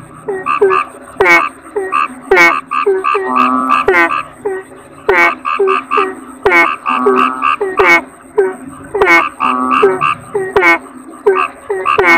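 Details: Toads, kodok bangkong, in a dense chorus of short harmonic croaks and nasal, buzzy notes, several callers overlapping in quick bursts roughly every second, with sharp clicks and a faint steady high tone behind them.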